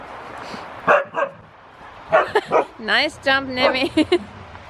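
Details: Huskies during a playful wrestling session: short sharp yips, then a rising and falling whine, and a run of quick wavering yelps and yodel-like cries in quick bursts.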